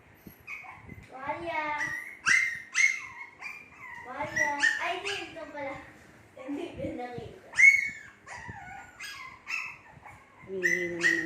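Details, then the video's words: Shih Tzu puppies in their second month making noise: a chorus of high whiny whimpers and short yips, several pups overlapping, with brief bursts and pauses, a few sharper squeaks near the end. "SHITZHU PUPPIES MAKING NOISE"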